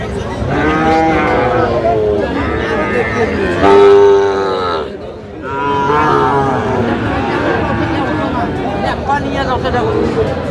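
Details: Repeated mooing from several cattle at Aftabganj haat, 16 August 2025, where Dhaka farmers buy Sahiwal bull calves; harmonic calls come in waves with a brief lull midway, under constant crowd chatter.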